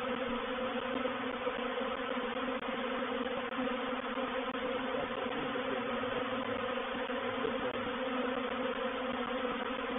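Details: Reproductive swarm of honey bees moving into a bait hive (swarm trap) at Painted Peacock Manor, 04/07/21: a dense, continuous droning hum with steady low harmonic bands, unbroken for the whole stretch.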